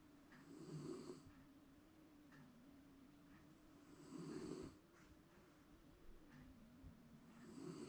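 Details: Snoring Shiba Inu in a relaxed afternoon nap indoors: deep, buzzy inhalations swell and fade in a slow rhythm, three rough surges across the stretch, over a low steady hum.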